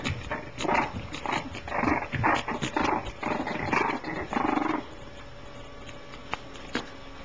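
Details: French Bulldog puppies born 16 July 2010 give a rapid run of rough, raspy growling grunts for about five seconds, then the litter falls quiet over a steady background hiss broken by a couple of sharp clicks.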